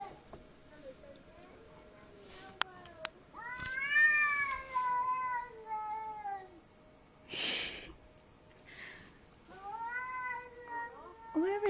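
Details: A domestic cat crying at night, heard indoors: drawn-out harmonic meows that rise then fall, one long wail near the start and shorter rising cries later, with a burst of noise between and a person speaking quietly.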